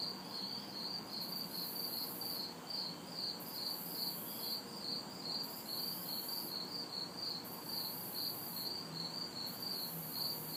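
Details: Crickets and cicadas chorus on a hot, humid summer night in a city backyard: steady pulsed high chirps around four kilohertz, with a higher buzzing band swelling and fading every second or so, over faint distant traffic hum.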